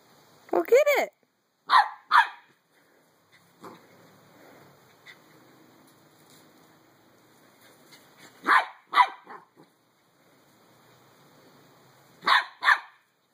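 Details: Playful three-month-old Pembroke Welsh Corgi named Skip barks at a beach ball in short bursts of two or three high yaps, with quiet stretches and faint human voices between them.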